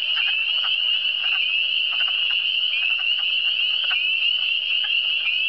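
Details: A dense frog chorus in Quebec's Eastern Townships: a steady, high, buzzy trill with quick pulsing notes throughout.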